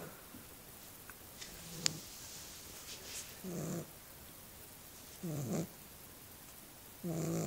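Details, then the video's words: Small dog asleep and snoring: after a few faint clicks and rustles, three rough, wheezy snores arrive at intervals of roughly one and a half to two seconds. "Snoring Dog"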